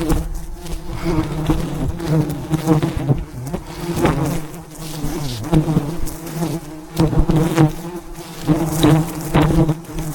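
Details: Thousands of bees at a giant wild hive high in the mountains during a risky honey harvest. A loud, dense buzzing hum with rich overtones fills the recording, mixed with repeated sharp cracks and knocking.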